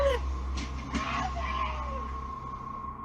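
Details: A steady low engine rumble and a faint tonal whine, with brief murmurs of a voice and no animal. No animal sound is present.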